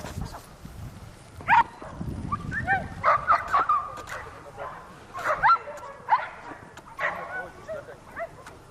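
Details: Whippet during a training run on a circular track in Novy Milet, 30 October 2016: excited high yelps and whines in short bursts, several rising and falling squeals, with quieter human voices and low rumbling in the background.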